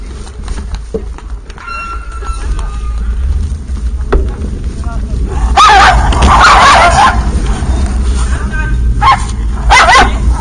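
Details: Dogs, three and a half of them, on a cold trip, give a burst of sharp barks midway and another near the end. Human speech and a steady low rumble run underneath.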